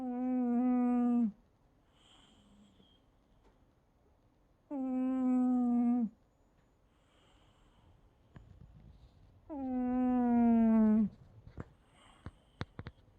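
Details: Milo the cat snoring: three long, droning snores with strong stacked harmonics, each lasting over a second and spaced about five seconds apart, with near silence between them and a few sharp clicks toward the end.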